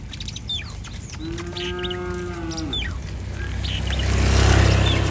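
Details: Cattle from a herd wandering along a street; one steady, level moo lasting about a second and a half, with scattered bird chirps around it and a low rumble building toward the end.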